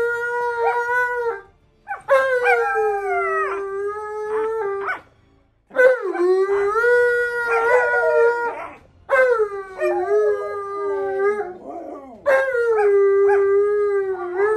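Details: Siberian Husky Monroe in a playful tug-of-war tussle with a second dog. Sustained, sliding howl-like whines come in four long bouts separated by brief silences, with wavering pitch and sharp yelps at the starts.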